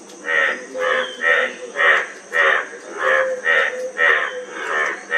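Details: A frog giving harsh, raspy croaks in a steady series of about two per second, each short and pulsing, over a faint constant high hum.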